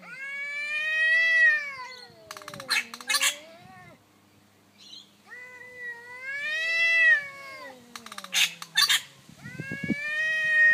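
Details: Territorial daytime standoff between an orange cat and a black neighbouring cat, a nightly battle for a month; loud, harmonic yowls rise and fall in long arcs, each answered by spitting hiss bursts.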